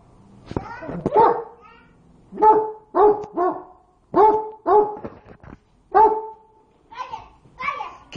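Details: Domestic dog barks at its hot meal, as if to cool it: paired, clipped barks recurring every second or so, mixed with a person talking and a child's voice early on.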